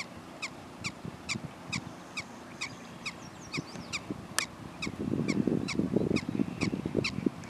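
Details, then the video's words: Prairie dog barking in a quick, steady series of short squeaky yips, roughly two each second, with a burst of rough low rumbling noise covering the lower range in the last few seconds. "Prairie dogs"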